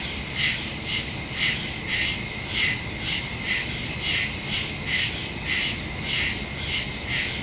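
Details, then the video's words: Crickets in nighttime woods, recorded September 2, 2023 with a Samsung Galaxy S22 Ultra phone and Shure MV88+ stereo microphone; loud, clear high-pitched chirp bursts repeat regularly, close to two per second, over quiet continuous insect noise. "Crickets in the woods at night"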